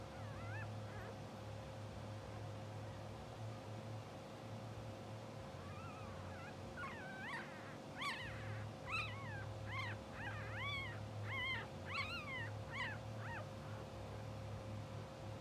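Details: Sleeping, dreaming English Bulldog puppies, two hours old, from a blue sable litter, watched on a live puppy cam. Quiet at first, then a run of high, squealing whimpers about twice a second that swell and fade, over a constant low hum.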